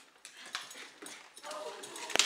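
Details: Happy Jack Russell Terrier, excited just before a walk, gives high thin whining whimpers with a sliding, falling tone, mixed with a man's voice and a few sharp clicks and clatters near the end.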